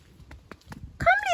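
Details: Domestic cat coming home after two or three hours playing outside in the neighbours' yards; a brief, clear meow that rises then falls away at the end, preceded by faint soft clicks, with a woman talking nearby.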